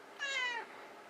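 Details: Pet cat indoors in a small room, coaxed by its owner to meow softly: one soft, slightly falling meow of about half a second with a rich stack of overtones, then quiet room tone.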